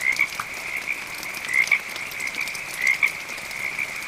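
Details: A high, pulsed frog trill runs continuously, with louder rattling bursts about every 1.3 seconds. Gentle rain falls in the background.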